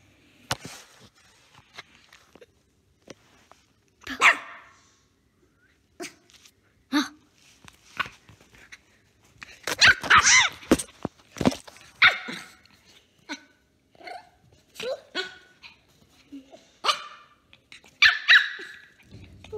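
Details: A three-month-old Pomeranian puppy playing with a little girl, letting out short, high, yappy barks in irregular bursts, sometimes several in quick succession, with bright upper overtones; quiet rustling and thumps of play between barks.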